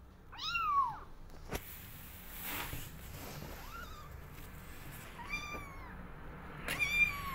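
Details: Kittens meowing to go outside, wanting to explore: high, arched mews with stacked harmonics, one loud call near the start and softer thin mews later, separated by pauses, with light clicks and bumps between.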